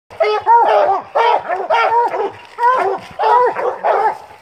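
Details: Treeing Walker Coonhounds, three dogs out coon hunting, give loud, ringing, drawn-out bawling bays with rising and falling pitch, in overlapping bursts separated by short pauses.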